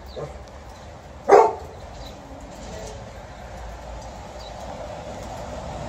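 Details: Alaskan Malamute named Liza, at home waiting for her family and a Golden Retriever to come back, gives a single sharp woof. Faint background hum fills the rest of the recording.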